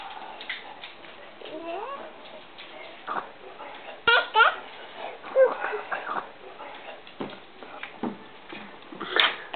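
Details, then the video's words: Playing Bracco Italiano dogs at Kennel BiancoRosso: a wavering, rising and falling whine early on, then sharp yelpy bursts and scattered grumbles in an irregular run, mixed with thumps and soft human talk nearby. "Bracco Italiano play"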